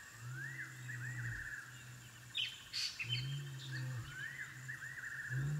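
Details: African wild dog puppies at their den: low, drawn-out moaning tones alternate with rising squeaky whines, while chirping birds call in the background.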